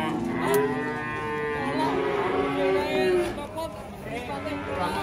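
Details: Indonesian cattle calling in chorus, repeated long moos swelling and fading, several animals sounding at once with slight pitch bends.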